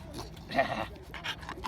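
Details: Single dog backstage at a dog show featuring exotic breeds gives one brief, strained, bleat-like yelp, with busy crowd chatter and hall noise behind it.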